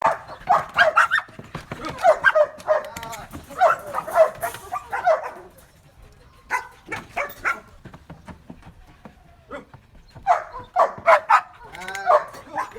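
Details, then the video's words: Belgian Malinois being trained to bark on command: loud, sharp barks in quick clusters of three to four, repeated across the recording with short pauses, faint human voice between bursts. "របៀបបង្រៀនឆ្កែអោយចេះព្រុស /How to teach a dog to bark"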